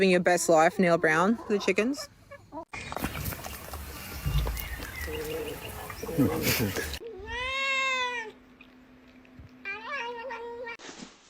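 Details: Domestic cat in a funny cat compilation, with arched, drawn-out meows after a choppy mix of edited segments, other noises and voices, and a steady low hum beneath the calls.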